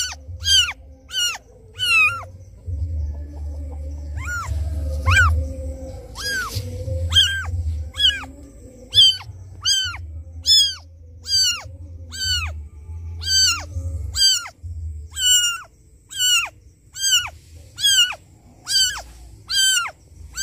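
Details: Loud crying of a kitten calling its absent mother: a sustained series of over twenty sharp, high mews at a brisk, slightly uneven pace, with a low rumbling hum underneath at first.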